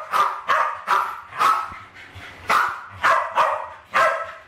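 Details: Two West Highland White Terriers, Alfie and Crystal, aged around 7 and 8, playing with balloons in a kitchen in 2012 and trying to kill them; sharp high barks in a steady run, about two per second.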